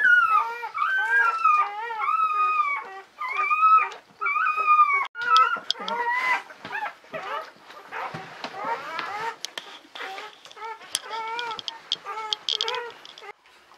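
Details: Whining newborn Czechoslovakian Wolfdog puppies, daughters of Orizon and Rahan born 21 November 2020 in a litter of five females. Arched, tonal whines repeat roughly every second, then grow fainter and mix with rustling and handling sounds.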